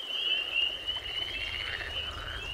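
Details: A spring chorus of male spring peepers gives dense, high, overlapping whistled peeps. They form a shimmering band over a low rumble and faint background noise.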